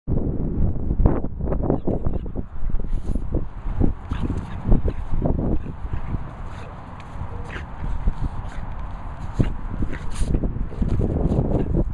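Only thumping, shuffling movement noises and low rumbling handling sounds are heard, with no clear animal calls.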